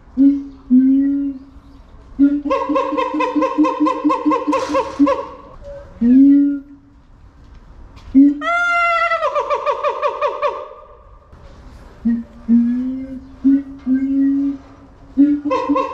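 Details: Keiji, a siamang at Higashiyama Zoo in Nagoya, Japan, recorded in February 2021 in a very good mood, screaming loudly: rising whoops, long wavering harmonic wails and a swooping high shriek midway, broken by short barking notes.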